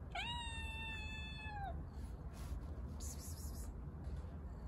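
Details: Stray kitten living on the street, given water: one drawn-out meow lasting about one and a half seconds, steady in pitch and then dipping at the end, over a constant low background hum.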